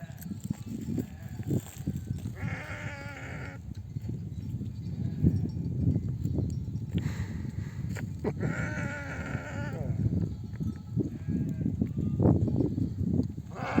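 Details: Flock of sheep back from desert pasture, mothers calling lambs to nurse; several short wavering bleats among constant low trampling, rustling and bell-like clinks of the moving herd.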